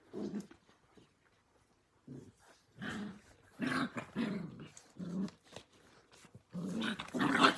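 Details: Australian Cattle Dog puppies, blue heelers born May 5, 2020, playing together in a pen: rough, low growling bursts in several rounds, separated by short pauses, with scuffling between them.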